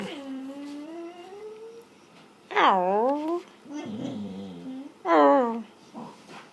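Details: A sleeping dog, dreaming, gives a long low whine followed by louder yelping howls that swoop down in pitch, with a softer grumbling moan between them, recorded indoors.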